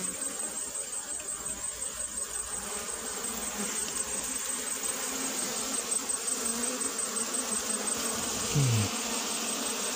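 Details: Honey bees from a kept colony during relocation of their hive, with the beekeeper searching for the queen: a steady, dense buzzing hum over broadband hiss, a faint low drone underneath and a brief low squeak near the end.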